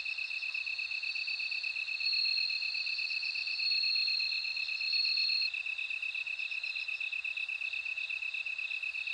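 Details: Bell crickets singing. A ringing high trill swells in bursts of one to two seconds over a continuous rapid pulsing insect tone, then fades, leaving the steady pulsed drone.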